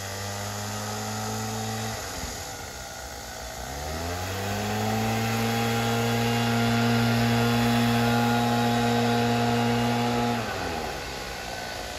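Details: A steady droning engine or power tool with a deep humming tone, dipping in pitch around two seconds, then climbing back and holding level before easing off near the end; no animal voices are heard.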